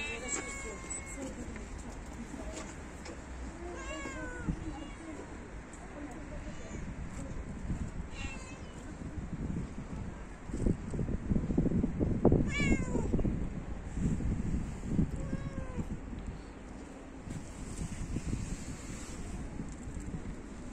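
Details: Stray cat that likes to lick feet, giving a series of short meows that rise and fall in pitch, scattered across the recording, with human speech and low rumbling street background in between.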